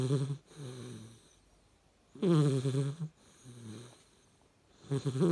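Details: A sleeping Hungarian Vizsla puppy snores in low, rattling rasps, each breath a rough drawn-out rumble.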